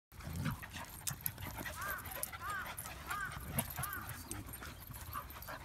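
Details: Shiba Inu Donguri, a pet dog, playing with other dogs and wanting to join in. Four short, high, arched whines come about every 0.7 seconds over rustling, scuffling play noise.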